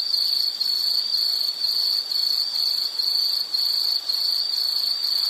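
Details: Relaxing nature recording of an insect trilling in high, pulsed bursts, about two per second, with short dips between phrases and nothing else audible.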